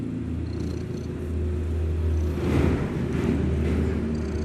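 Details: Indonesian kitten snoring heavily while asleep, a louder continuous deep rumbling drone that swells slightly midway, with light hiss behind.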